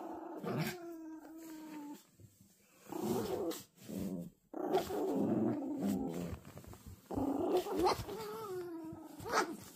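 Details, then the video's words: Toy Poodle puppies tugging at a toy together: short growly rumbles broken by higher whiny tonal notes, irregular bursts with pauses between. "강아지들이 줄다리기를~!!! 조금한게 성질이장난 아니네^^!!!!!!"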